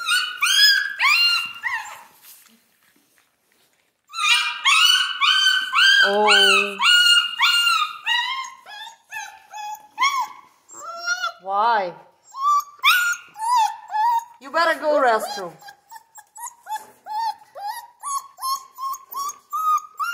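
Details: Central Asian Shepherd puppies in Michigan whimpering and yelping: a dense run of high, tonal whines and squeals, about two per second, broken by a brief pause early on, with a person talking in between.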